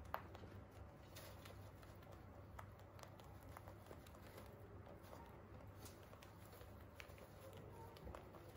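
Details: Holland Lop bunnies eating hay, a dense run of sharp crisp crunches and clicks, several per second, over a faint low room hum.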